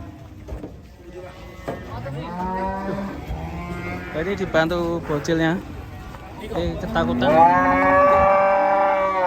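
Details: Agitated, raging cattle giving several rough, uneven moos and grunts of varying pitch, ending in a louder, sustained, strained bellow.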